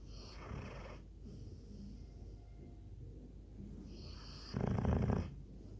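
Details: Snoring Labrador Retriever, with a raspy inhaled snore at the start, a quiet pause, then a louder, rougher, rattling snore just before five seconds that fades back into soft breathing.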